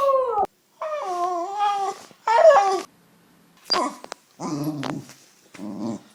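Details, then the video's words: West Highland White Terrier giving a string of drawn-out, tonal whining vocalizations. Several are sliding and wavering in pitch, others are short and nasal, with brief silent gaps between them in a quiet indoor setting. "OUÇA O SOM DO CACHORRO TERRIER BRANCO DE MONTANHAS OCIDENTAIS 🐕 WEST HIGHLAND WHITE TERRIER"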